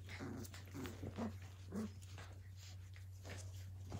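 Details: Australian Cattle Dog puppies, Blue Heelers, playing together indoors: a handful of short, low, growly yips and grumbles spaced through the moment, with scuffling thumps and a steady electrical hum underneath.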